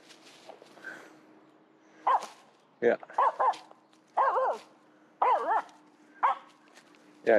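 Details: Finnish Spitz chasing a squirrel, giving clusters of sharp, wavering barks roughly once a second after a quiet start, with a steady low hum in the background.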